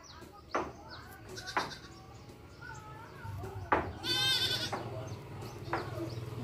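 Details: A goat, recorded with its kid, gives a high, quavering bleat midway with shorter cries around it, amid sharp knocks, a low background hum and possibly faint voices.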